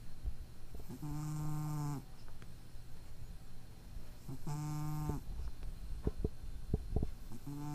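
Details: Sleeping cat with a slight nose impairment, recorded 23 April 2012, gives two low, droning nasal snores about a second long each, roughly three and a half seconds apart, followed by a few soft clicks and taps.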